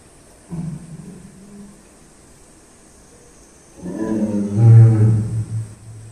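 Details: Captive tiger growling after a drink at Tobe Zoo, Ehime, Japan. A short low rumble comes at half a second, followed after a pause by a louder, deep, resonant growl lasting about two seconds.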